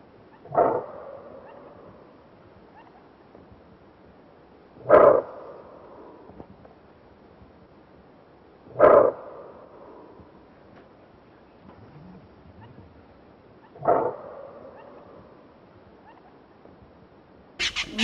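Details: A greater kudu, a large antelope, in Kruger National Park, South Africa, gives four loud, gruff barks spaced about four to five seconds apart.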